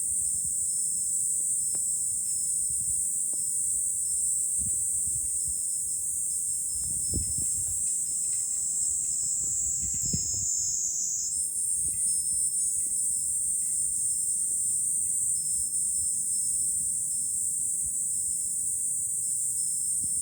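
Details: Cicadas singing in July from a hilltop overlooking Fukuoka city, Japan: a dense, unbroken high-pitched buzzing drone holds steady for the whole stretch, shifting slightly in pitch midway, over faint low wind rumble and soft scattered tinkles.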